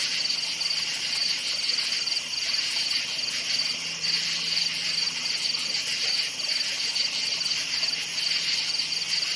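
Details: Nocturnal forest cricket chorus: repeated quick, piercing chirps layered over a steady high whine of many insects, with a soft low hum underneath.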